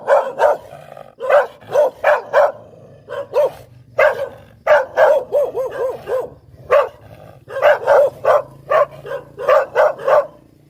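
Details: Poodle barking steadily, short punchy barks roughly twice a second in uneven groups, with a few brief pauses and one softer, wavering bark between the louder ones.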